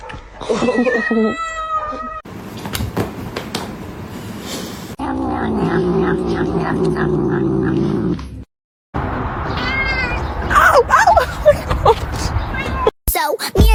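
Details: Cats talking in a funny compilation: an opening wavering, tonal meow, then spliced segments with a low droning yowl, a gap, and rapid squeaky, rising cries, with human voices and thumps between the edits.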